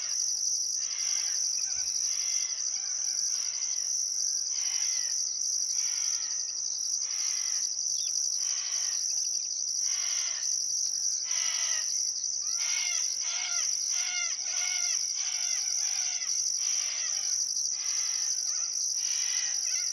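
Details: Summer sunset by the Barcoo River, Welford National Park, Outback Queensland: crickets keep a steady high-pitched trill with a pulsing upper band while many birds call repeatedly in short bursts behind them.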